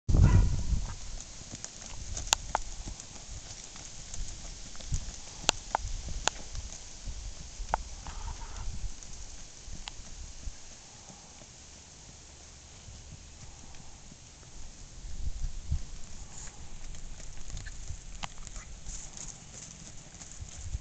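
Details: Tennessee Walking Horse stallion moving, with dull, low thudding hoofbeats in an uneven rhythm of roughly four steps per second, plus a few sharp clicks and a steady background hiss.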